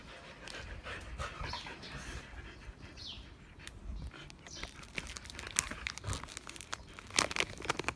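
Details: Siberian Huskies, including Patty the Husky, staring and begging for Pedigree snacks until their owner gives in; soft, breathy panting runs through as a low, steady hiss, broken by sharp clicks and rustles nearby.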